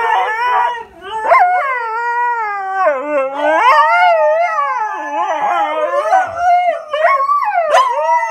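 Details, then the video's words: Siberian Huskies, pet dogs, in their daily talk with each other: continuous wavering howl-like vocalizing, sliding up and down in long gliding tones with brief yips breaking in near the end. "Siberian Huskies talking!"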